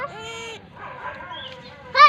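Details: A lamb gives a wavering, nasal bleat with a clear harmonic stack lasting about half a second, followed by a quiet, noisy stretch and then a brief, louder second bleat at the end.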